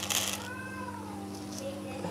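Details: Gino, a pet cat, answers when offered dry food with one drawn-out meow that falls in pitch, over a steady electrical hum with a short clatter at the start.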